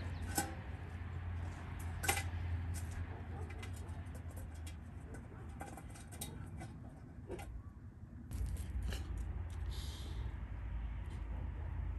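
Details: Constant low hum with scattered sharp clicks and rattles, a brief drop in background around eight seconds, and no animal calls audible.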